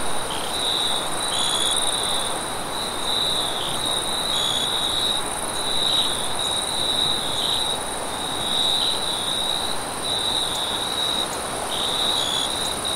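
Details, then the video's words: Crickets at night in a sun-kissed wheat field chirp in rapid repeated pulses, a bright high band with several overlapping callers and occasional higher notes, above a soft steady wind hiss. "Crickets And Wind Sounds In a vast sun kissed wheat field"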